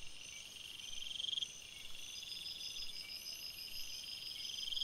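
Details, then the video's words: Forest crickets chirping at night, rapid beaded trills rising and falling in loudness over a constant thin high-pitched ringing chorus. "Crickets Sounds"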